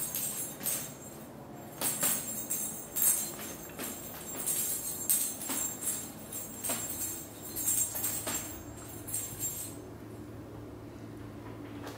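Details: Jingling bells and tambourine-like shaking over a steady musical background, with no animal voice heard.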